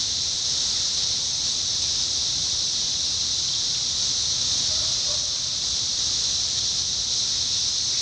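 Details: 17-year cicadas in Indiana, summer 2021: a dense, unbroken high-pitched buzzing chorus holds at the same level for the whole stretch, with a faint lower hum underneath.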